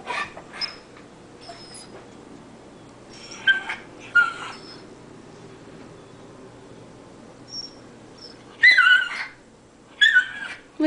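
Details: Excited Cairn Terrier named Brompton watches a squirrel in deep winter snow, giving scattered high-pitched whimpers and squeals: a couple near the middle, then a sharper cluster of wavering cries toward the end, separated by quiet stretches.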